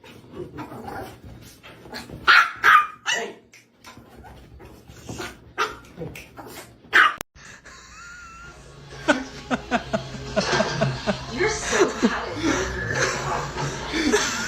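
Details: Pet dog barking in short, sharp bursts, several in quick succession, then a noisier stretch with background clatter and other household sounds.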